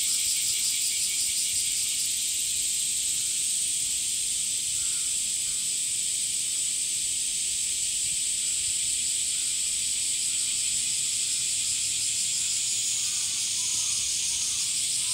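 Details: Cicadas in summer fill the air with a steady, high, pulsing buzz that never lets up.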